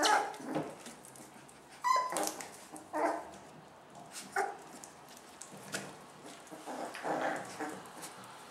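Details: Domestic dogs Toddy and Bella with their puppies indoors, giving short sharp barks and yips scattered across the clip, several loud bursts with quieter yelps between them, and light shuffling and patter in the background.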